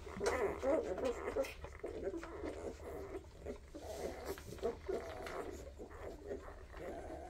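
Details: Weimaraner puppies from a first 2023 litter open with a louder cluster of whiny squeals, then settle into softer, rapid little whimpers and grunts over a steady low hum.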